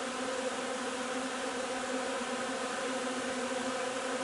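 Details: Honey bees at their hive gathering linden nectar on 3 June, a massed droning hum that stays level and uninterrupted, with a rich, buzzy texture.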